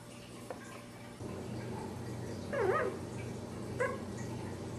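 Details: Dachshund puppy, ten days old, beside its ever-watchful mother, lets out a wavering whimpering cry midway and a brief squeak near the end. A low indoor hum persists throughout.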